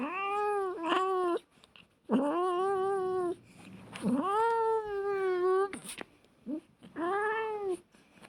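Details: Domestic cats fighting, trading long, steady, harmonic yowls of one to two seconds each, with a brief hiss between calls.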